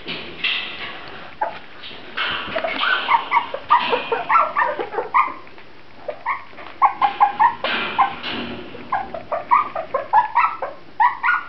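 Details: Several Grand Basset Griffon Vendéen puppies whimpering and yipping, short high whining notes in quick irregular bursts, some overlapping, with brief quieter gaps between runs.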